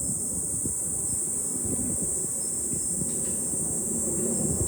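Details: Summer cicadas heard in July from high ground overlooking Fukuoka city, Japan: a steady piercing high drone over buffeting low wind noise.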